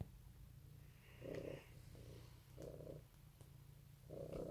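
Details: Domestic cat purring on an Easter 2018 morning: a steady low rumble throughout, with louder breathy surges near 1.3, 2.7 and 4.3 seconds as the cat inhales.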